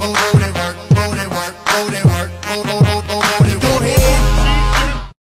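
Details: Loud hip hop style music with a heavy thumping beat and bass fills the short stretch, ending abruptly, with no animal sound.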